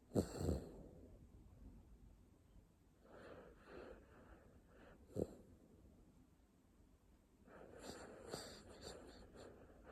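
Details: Jjanga, a pet dog deep in sleep, snoring indoors: soft wheezy, breathy snores come in irregular bursts, with a sharper snort near the middle and a longer rasping stretch toward the end.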